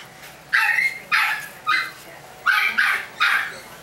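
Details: Chihuahua puppies give five sharp, high yapping barks in two pairs and a single, each short burst bright and squeaky with clear pauses between, over a faint steady background hiss.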